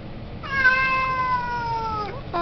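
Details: A talkative male Siamese cat who wants to go outside to play gives a long, level, slightly falling meow lasting over a second and a half, ending with a brief upturned note.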